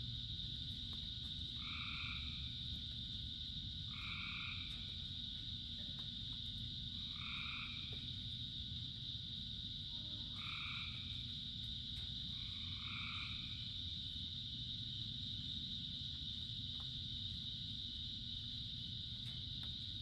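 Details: Frogs singing in the rain among thousands of others: short two-toned croaks repeat five times, about every two to three seconds, over a continuous shrill background chorus and dense rainfall.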